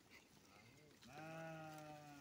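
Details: Farmed goat gives one sustained, nasal bleat of about a second with a steady, slightly wavering tone, preceded by low murmuring and faint background voices.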